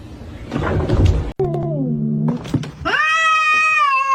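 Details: Kitten meowing indoors: a brief noisy scuffle, then a falling, growl-like tone and a long, steady, strongly harmonic yowl held for over a second.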